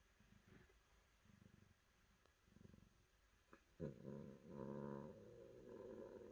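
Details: Domestic cat indoors: soft rhythmic purring pulses at about four per second, then a louder, low, harmonic-rich growling rumble through the second half.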